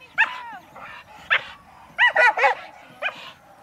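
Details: Dogs, two Pit Bulls and a Chihuahua mix, during lure chasing, one eager to go. Sharp, high yipping barks come in about five bursts over three seconds, some doubled, over a soft murmur of voices.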